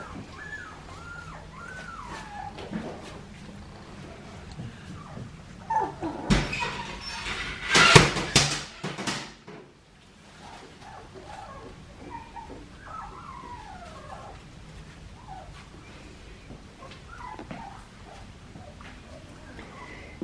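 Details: Young Australian Shepherd pups, two and a half weeks old, offspring of Poppy and Dublin in Oklahoma, make scattered thin curving whimpers around a noisy stretch of bumps and rustles, then soft rising-and-falling squeaks continue.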